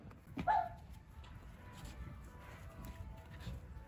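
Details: A fox at Miyagi Zao Fox Village in Japan, a former fur farm with about 100 free-roaming foxes, gives one short, mid-pitched, lonely-sounding whine while calling back and forth with a caged fox, then falls quiet over a soft rumble and faint hum.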